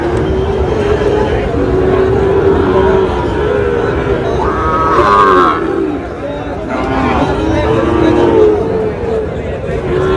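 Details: Cattle lowing at a Chittagong cattle market on 2 July, where a farmer buys Sahiwal bull calves; deep, drawn-out harmonic moos rise and fall twice over steady crowd chatter, men's voices and market bustle.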